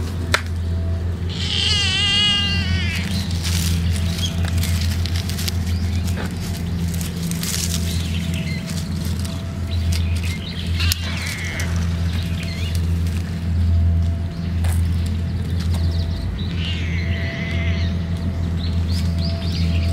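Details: Stray ear-tipped cat calling with a distinctive voice while eating grilled bonito and chicken and staying watchful of its surroundings; one wavering, harmonic-rich meow near the start, a fainter call later, over a constant loud low hum.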